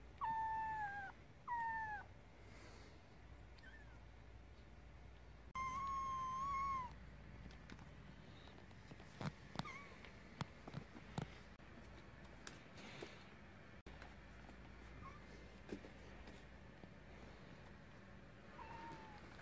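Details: Kitten meowing indoors: three loud tonal meows near the start, the second and third sliding slightly, then a long drawn-out meow around five seconds, followed by scattered clicks and soft rustling, with one faint meow near the end.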